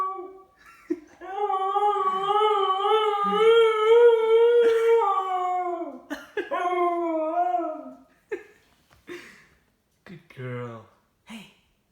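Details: Lola, a pet dog, howling indoors: a long harmonic howl that starts low, holds steady with a gentle waver for about five seconds, then a second falling howl, followed by short broken yips and whimpers.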